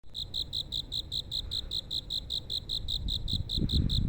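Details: Crickets calling on a night road in Nerima, Tokyo, Japan. A high, evenly pulsed chirping repeats rapidly and steadily throughout, over low rumbling background noise that swells toward the end.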